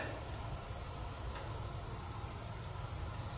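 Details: Crickets at night beside a river, heard from a jon boat during a solo overnight campout. A thin, continuous high trill holds steady and quiet, with a faint low rumble and no other clear sounds in the very still night.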